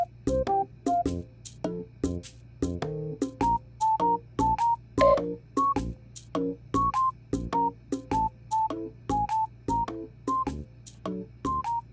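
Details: A bouncy, plucked keyboard melody repeats short notes at a steady pace over a low hum, with no animal sounds.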